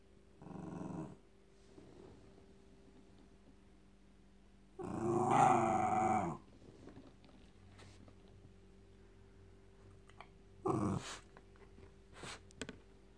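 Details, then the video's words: Frankie, a Jack Russell Terrier, thrashing his teddy indoors; three bursts of rough growling with long quiet gaps between, the middle burst loudest, the last one short. "Jack Russell Making Cute Noises & Thrashing Teddy"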